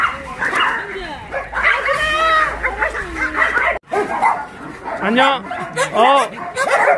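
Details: Rescued shelter dogs in Yangsan, Korea, excited while being played with, let out overlapping bright yips and rising-falling whimpers, loud and dense, with a person speaking throughout and one sudden brief silence midway.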